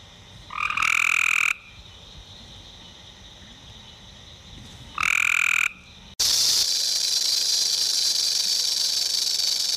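Two loud, nasal, rising croaks about four seconds apart, each lasting roughly a second, followed by a steady hiss that covers the rest of the recording.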